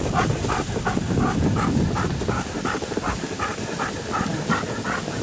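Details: Alaskan Malamutes Guizmo, Coleen, Urok and Cazan in harness on snow at Payolle, 31/01/12; rhythmic panting puffs partly masked by heavy low rumble and hissing sled noise.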